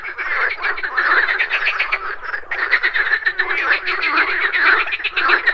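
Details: Frogs croaking at a pond in the morning, a dense overlapping chorus of rapid pulsed rattling croaks centred mid-pitch, with strong steady energy and a brief lull near the middle, insects buzzing in the background.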